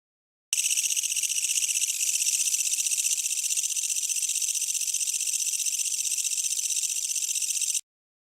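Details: Japanese bush katydid singing at night among trees and grass, found by flashlight; a steady, fast-pulsed high rasping buzz starting abruptly and running unbroken for about seven seconds before cutting off.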